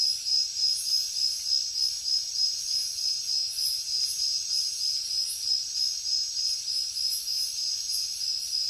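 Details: Crickets calling in a jungle at night, giving a shrill ringing trill that swells and fades in fast regular beats, with a fainter rhythmic buzzing of other insects above.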